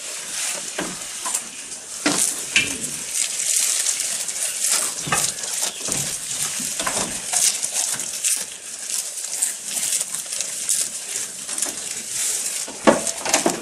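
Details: Close recording of a feeding goat: dense, rapid crackling bites and rustling crunches, uneven in rhythm and sometimes sizzling, with a constant bright hiss underneath.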